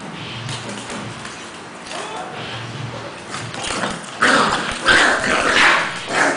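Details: Cash the Pekingese in mock fighting with a two-month-old English Bulldog puppy called Lebron; low quiet grumbles give way after four seconds to louder, sharper yipping snarls and scuffling.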